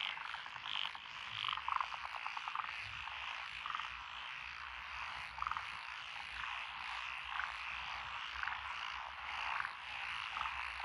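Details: Frog chorus from lotus rice paddies along a rural road in Echizen, Fukui, Japan, 12 June 2021, with Japanese tree frogs, black-spotted pond frogs, wrinkled frogs, Schlegel's green tree frogs and forest green tree frogs: dense overlapping croaks, clear pulsed rattling bursts every second or so.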